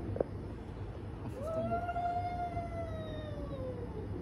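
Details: One long moaning wail from domestic cats in a fight: a brief click, then a sustained yowl that climbs slightly and holds before fading downward, with a low background hum throughout.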